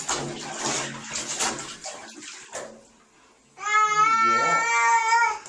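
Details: Kitten being bathed to rinse hair off its coat: running, splashing water and quiet talk at first, then water stops and a long, strong, wailing meow holds steady for nearly two seconds.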